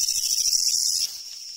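A Japanese leaf katydid's loud, harsh, high buzzing song that cuts off after a second.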